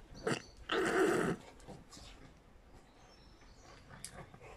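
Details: Young Australian Shepherds romping in a garden with the older female Quinnie: one short, loud, rough growl-like burst, a brief yelp before it, then quieter scuffling and rustling.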